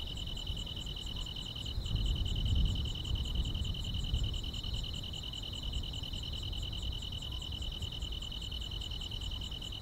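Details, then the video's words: Unbroken high, rapidly pulsing insect trill from grass on a calm rural summer night, joined by a thin run of very high ticking chirps; a soft low rumble swells briefly near the second and third seconds. "여름밤의 포근한 풀벌레 소리"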